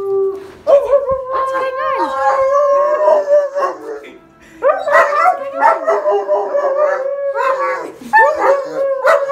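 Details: A Rottweiler gives long, wavering howls with yelping breaks, pausing briefly before starting again, in response to shouting down a drain pipe.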